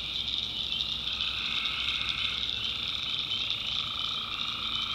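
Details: Dense tree frog chorus on a night in the North Carolina backwoods swamp: constant high trilling voices overlapping without a break, a quieter lower trill surfacing near the end.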